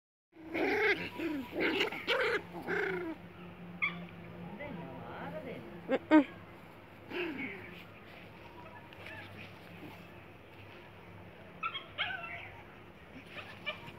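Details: Poodle puppy at play, giving a burst of high, whiny, wavering yelps and whimpers over the first three seconds, then mostly quiet with a few sharp clicks and brief soft squeaks later on.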